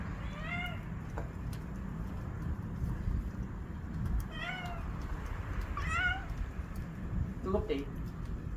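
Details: A cat meows in the evening, giving four short, clear meows spaced a second or more apart, some rising then falling. A steady low rumble and a person talking softly in Korean sit underneath.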